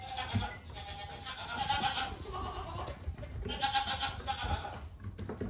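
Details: Goat kid bleating twice: two drawn-out, wobbling, nasal cries about two seconds apart, each with a trembling vibrato, with soft background noise between them.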